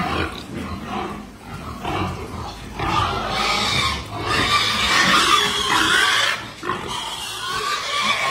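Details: Berkshire x Pietrain crossbred gilt on a pig farm, squealing in loud, rough, noisy bursts that build toward the middle, with some talking nearby.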